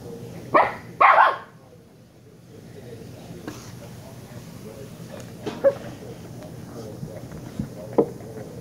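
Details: Shiba Inu puppy from the pair Kyno and Niro yips twice in a fast double bark, then quieter scattered yelps and small sounds follow over several seconds amid low room noise and soft speech.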